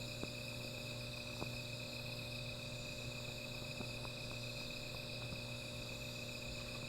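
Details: Insects at night near a small fire keep up a continuous shrill ringing drone, over a low steady hum, with occasional sharp clicks like crackling wood.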